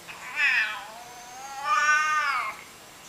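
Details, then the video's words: Domestic cat producing two long meows, the first rising and falling briefly, the second swelling higher and held before dropping away; background otherwise quiet. "Weird Cat Noises Compilation"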